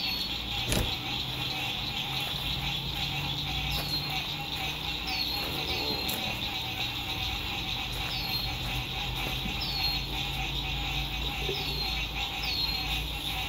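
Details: Frogs singing at sunset by a lake during spring 2021 lakeside camping in fine weather: a dense, continuous high trilling chorus with repeated short descending whistles above it, over a low hum of road noise and a sharp click.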